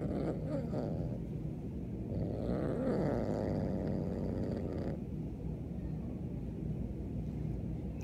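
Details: Indoors, Beans the Siamese kitten growls in protest at a newly arrived kitten behind the door; a long grinding growl swells midway and wavers in pitch, then settles into a low steady rumble.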